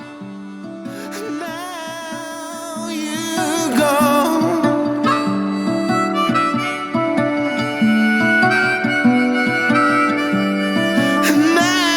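Harmonica music with sustained, bending melodic notes; no animal sound is present.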